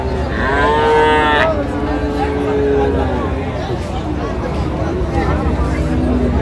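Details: Friesian and crossbred bull calves at Raniganj market, Dinajpur: one loud long moo in the first second and a half, followed by fainter lowing beneath continuous crowd talk and market bustle.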